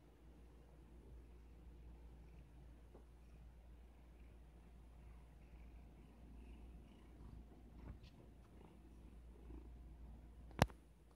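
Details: Domestic cat hidden under a blanket, purring as a steady low rumble throughout, with a faint hiss above and a sharp click near the end.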